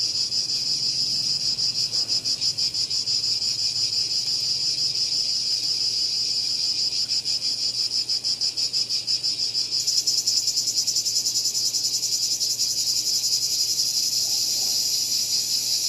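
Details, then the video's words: Shrill cicada drone with a rapid pulsing texture; around ten seconds in, the buzz turns brighter and reaches higher, carrying on strongly to the end. "Cicada Called || ឪរៃអើយរៃយំ"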